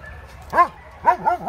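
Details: Tala, a two-year-old medium-sized female German Shepherd mix awaiting adoption through the Trovatelli4000 non-profit, gives three short, high yelping barks with an arched, rise-and-fall pitch. The first stands alone and the last two follow in quick succession.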